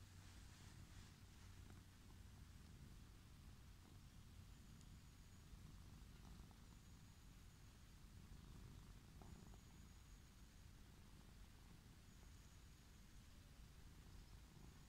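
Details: Wild orange tabby cat lying on a lawn, purring with pleasure while being approached and petted; a steady low rumbling purr runs through the whole recording, with faint thin high whistles in the background.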